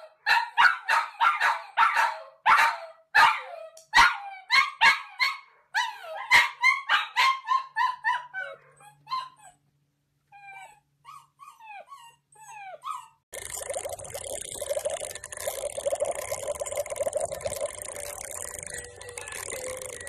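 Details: Pet Dachshund, a sausage dog, giving sharp, high barks in a quick, uneven run for about seven seconds, then thinner yips and squeaky whines with pauses, before steady music takes over from around thirteen seconds.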